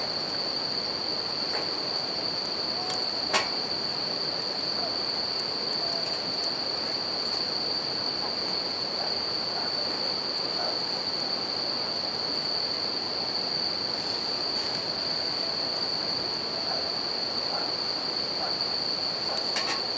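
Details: Bell crickets keep up an even, piercing ring through the night near a river, while a campfire crackles at irregular intervals and the water's steady rush fills the background.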